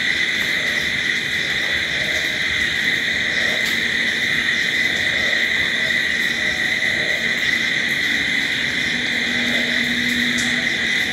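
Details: Unceasing shrill cricket song through the night, many callers blending into one level trill, with occasional soft low tones and faint clicks in the background.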